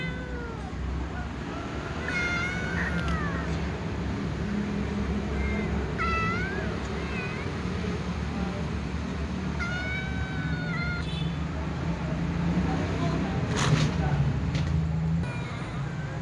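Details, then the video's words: Little cats meowing sleepily before eating alongside other cats; several drawn-out, wavering meows rise and fall in short bursts near the start, middle and around ten seconds, over a steady low hum and faint clicks. "Little cats meow sleepily before eating with other cats"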